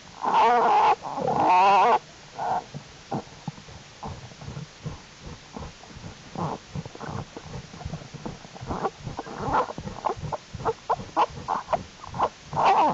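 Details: American black bear cubs active in a winter den in January during unusually warm temperatures: two loud wavering squalls open the recording, followed by many short rough pulses and squeaks, with more squalls near the end.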